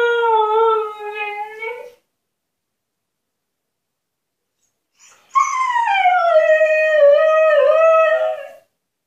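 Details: Husky Altezza, shut in her enclosure as a punishment, howls for freedom: a steady level howl lasting about two seconds, a pause, then a louder howl starting high, dipping and wavering for three seconds.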